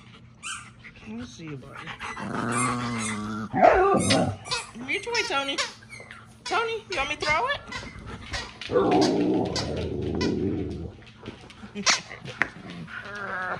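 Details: Pet dogs playing indoors at home, interrupting their owner's TV time; rough play with a growl and scattered barks, mixed with a woman's talk and TV sound.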